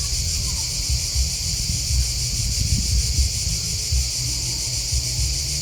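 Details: Shrill, rapidly pulsing cricket chirping runs without a break, set against a low, uneven rumble with soft thumps.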